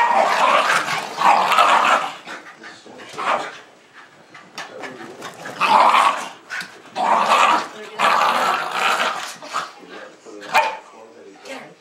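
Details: Two Jack Russell Terriers, Jasper and Jaclyn, about two years old, wound up and chasing each other in the snow in Lenexa on 26 December 2009, filmed with a JVC camera. Rough bursts of barking and growling repeat, with people talking.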